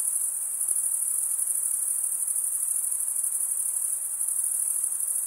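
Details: Crickets chirp together through wing stridulation, producing an uninterrupted, shrill, finely pulsing high trill at steady volume, with only a faint low rumble now and then beneath it.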